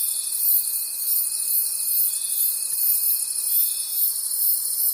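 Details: High, dense cricket trilling from a night forest, throbbing in quick, even waves. A steady, thin tone runs underneath and fades out near the end.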